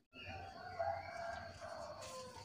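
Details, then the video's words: Lulu, a pet cat, cries in a spoiled, whining way while begging for food: one long, drawn-out tonal wail of about two seconds, steady in pitch with small wavers, over a faint low room hum. "SUARA TANGIS MANJA LULU SAAT MINTA MAKAN"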